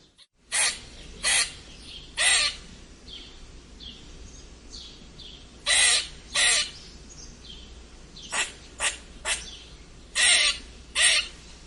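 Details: Strange squeaks of a red squirrel: harsh, noisy bursts in irregular pairs and short runs of three, loud and abrupt, with softer high notes between them and quiet background hiss.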